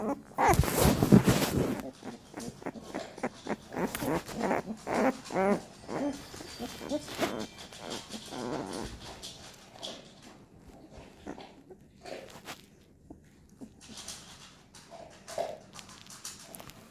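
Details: Litter of American Staffordshire Terrier puppies, crawling and growing more active, whimper and squeal in quick uneven bursts after a loud rustle at the start, calls thinning to scattered faint cries over the final seconds.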